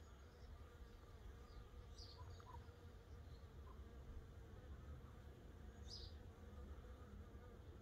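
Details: Honey bee scouts investigating a Layens hive set up as a swarm trap, baited with old drawn frames holding propolis and honey smell; continuous low wingbeat hum throughout, with occasional short brighter buzzes as bees fly close.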